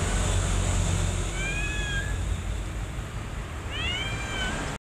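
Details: Domestic mother cat with her kittens, rescue cats; two thin, high meows, each with a brief arched rise and fall, the second a quick double cry near the end, over a steady hiss and low background hum.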